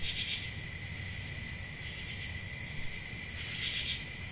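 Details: Crickets chirping on a peaceful country summer night: a steady, high, shimmering trill that never stops, with a louder pulsing burst at the start and again near the end, over a soft low rumble.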